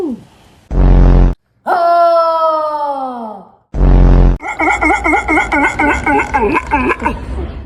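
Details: Pet dog in the USA making strange noises: a long, drawn-out, falling tonal groan, then a run of quick, wavering, yodel-like vocal bursts repeated about twice per second, broken by loud blasts of added noise.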